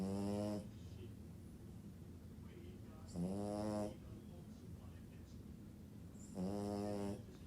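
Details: French Bulldog asleep, snoring steadily: three loud rasping, harmonic snores, each about half a second to a second long, spaced roughly three seconds apart, with soft breathing between them in a quiet room.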